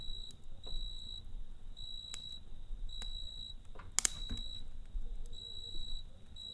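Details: Night-time cricket beside a campfire, its high, clear trill broken into quick regular bursts, while wood crackles and snaps, with one loud pop near the end, over a soft low rumble.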